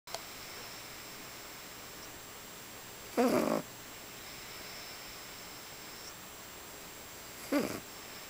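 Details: Sleeping pug snoring indoors: a rattly, wheezy snore of about half a second, then a shorter, fainter one four seconds later, over a steady hiss of room noise.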